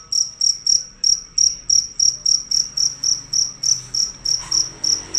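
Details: Loud, fierce cricket giving an unbroken run of sharp, high-pitched chirps, roughly three to four each second, steady and even, over quiet low background hum.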